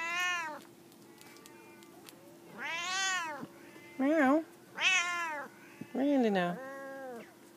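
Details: Two F2 jungle cat hybrids on a jungle gym, one calling: a series of loud, wavering meows, some rising then falling, some with a quick warble, spaced about one to one and a half seconds apart, with soft background hum.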